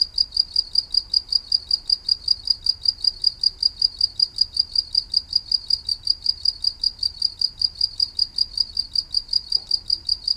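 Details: A cricket chirps steadily with high, clear pulses at a fast, even rhythm; the sound is also described as coming from a green beetle.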